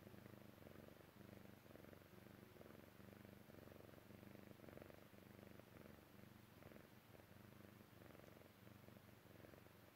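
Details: A Chinchilla Persian cat purrs in a low, steady rumble that pulses with each breath as she relaxes and falls asleep.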